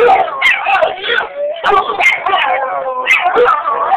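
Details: Roach and Rocco, two dogs, howl back and forth at each other, their wavering, quavering voices overlapping in a loud, unbroken tangle of rising and falling notes.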